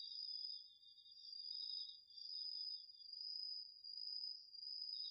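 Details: Night chorus of autumn insects such as crickets in a garden field, captured with a DR-40X recorder: two continuous high-pitched trills layered together, one steady and one slightly lower and pulsing, swelling and fading in volume.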